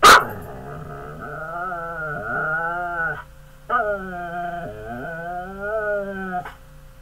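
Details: Big pet dog giving long, wavering, talk-like growling whines in two extended phrases that bend up and down in pitch, separated by a brief pause, indoors with little other sound.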